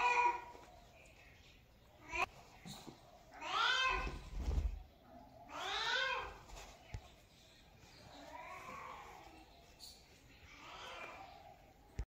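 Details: Cat giving a series of four or five meows, each a wavering, slightly nasal cry about half a second long, loudest in the middle of the series, with faint knocks and handling noises between calls.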